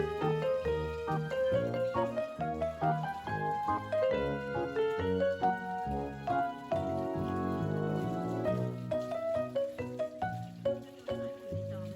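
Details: Upbeat background music with melodic notes plays throughout, with no animal sound heard.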